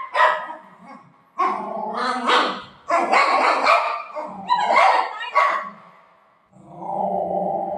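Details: Playful Golden Retriever at home with its owner, barking hard in quick loud bursts, five or so close together, ending in a steadier, drawn-out tonal whine-like sound.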